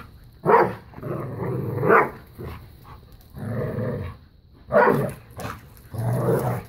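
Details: Bella, a five-year-old black lab pitbull, and a new puppy playing tug of war and keep away; rough growls alternate with short barks, several bursts in under seven seconds.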